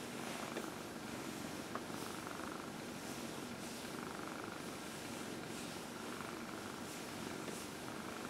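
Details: A 14-year-old female cat named Dinah, adopted from a shelter, purring through an early evening massage on a lap, April 16, 2020: an even, unbroken low hum with light rustling and occasional soft ticks.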